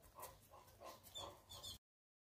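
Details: Boerboel (South African Mastiff) dogs Enzo and Diva, a couple living in Egypt, during play: five short, mid-pitched yelping barks in quick succession, roughly three per second, then the sound cuts off abruptly.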